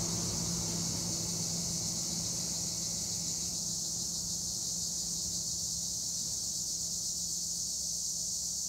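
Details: Acheta assimilis tree crickets chorusing in olive trees near Edremit/Güre, Turkey, make a continuous high-pitched hissing trill with no pauses, with a steady low hum beneath it.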